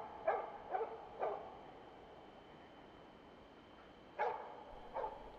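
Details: Jämthund named Rambo, a mature champion hunting dog, holding a moose at bay in autumn woodland at an estimated 400 metres; three quick ringing barks, a long pause of near silence, then two more barks.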